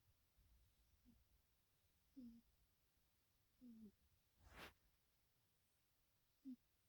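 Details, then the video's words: Two black cats, Little Missy, a former stray, and her son Purrfessor Midnight, in REM sleep and twitching, recorded 2/21/2021: short, low, nasal snore notes at uneven gaps in a quiet room, with one sharp click midway. "TANDEM SNARFLE SNORING"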